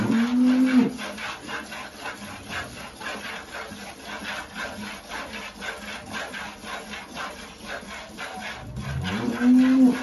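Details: Holstein cow with calf at milking in El Salvador; a short moo at the start and another at the end, separated by about eight seconds of scraping, rasping barn noise.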